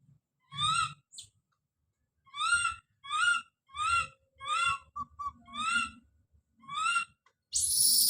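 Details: Baby monkey crying out in a scream: rhythmic, clear harmonic cries roughly every half second, a few brief chirps between them, ending in a harsh noisy squeal, with low rustling underneath.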